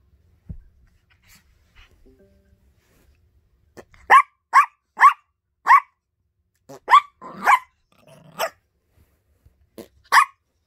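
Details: Yorkshire Terrier puppy, a young female pet, barking at home in short sharp yips, about nine barks in bursts of one to three over six seconds, after a quiet start with faint rustling.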